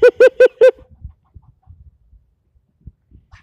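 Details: Squirrel yelling at someone for nearly ten minutes straight: a rapid burst of four loud, nasal barks in under a second, then quiet with faint low rustling and a few soft clicks.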